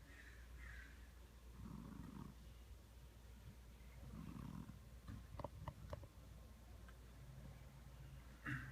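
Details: Domestic cat snoring like a buzz saw: low rough rasping breaths around two seconds apart, with a few brief clicks and higher scratchy noises between breaths.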